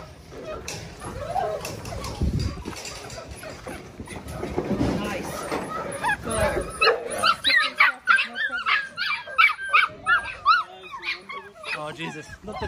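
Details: A litter of Belgian Malinois puppies, six weeks old, sired by Mensa out of Pixel. Human voices lead at first, then a rapid run of sharp, high yips and whines takes over, about three per second, steep and rising-falling in pitch.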